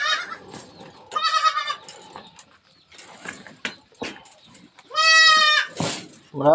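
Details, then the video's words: Goat kid released in the morning on a farm, tagged Sangli; two loud, high, quavering bleats, each under a second, separated by several seconds, with people talking and brief music in between. "शेळीची करडू सोडायला लावली दादाला सकाळी"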